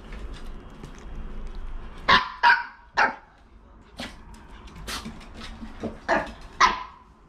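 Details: Young female Maltese dog, born in 2018 to a Maltese pair, jealous of her mother dog; sharp, high barks come in short bursts, several in quick pairs, irregularly spaced over a few seconds with quiet room noise between.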